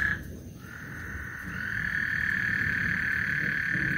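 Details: Continuous frog trill on Lake Houston ahead of a thunderstorm: an even, buzzing tone that swells slightly after a brief dip at the start, with a faint low background rumble.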